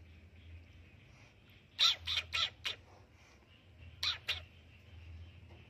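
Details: Fearful kitten hissing at someone entering its hiding spot: four quick, breathy hisses in a row, then a brief pause and two more, set against a continuous high electrical-sounding hum.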